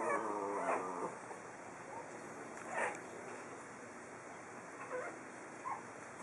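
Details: Four-week-old pug puppies outdoors on their first steps give a short harmonic whine at the start, then thin, scattered yips and whimpers over a steady background hiss.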